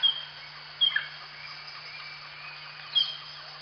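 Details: A wild pygmy marmoset in the Upper Amazon lowlands, on a tree whose bark it gnaws for sap, gives brief, piercing, very high bird-like chirps spaced irregularly, over a steady low electrical hum and faint hiss.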